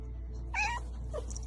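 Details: Cat giving one brief, bright meow that rises slightly and then falls away, over a low steady hum, with background music and a voice saying "oh no" just before.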